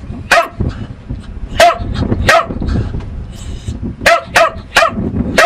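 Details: Lucky, a pet dog, gives loud single barks, then a quicker run of four barks near the end, over steady low background noise.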